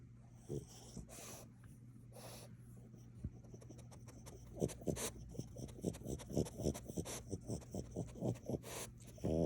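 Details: Maui, a pet French Bulldog hiding under a sofa indoors, snuffles and snorts in short puffy bursts that quicken and grow louder through the second half, with low grunting breaths between them.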